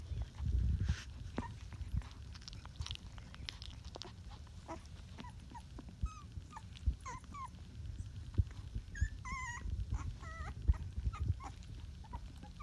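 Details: Rottweiler puppies at twenty days old, a puppy lying on a cheek. Thin, high whimpers and squeaky wavering whines come in short clusters, mostly in the second half, over a steady low rumble with soft thumps and rustling.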